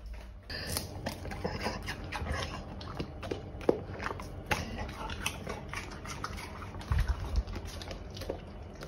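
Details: A Golden Retriever chomps on pears, producing dense, rapid crunching and slurping bites throughout, with a few sharper cracks and a low indoor hum beneath.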